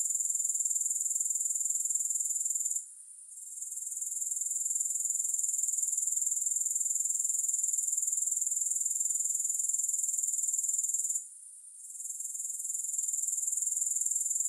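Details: Grasshoppers make a dense, high-pitched, rapidly pulsing trill that runs steadily, dipping briefly near three and eleven seconds before resuming at full strength; no music or other sounds.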